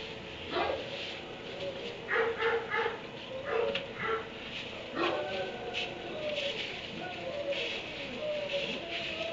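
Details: Dog shut in a kennel in a barn at 3am, barking in short irregular bursts, some doubled, with quiet gaps between and a faint whimpering tone late on.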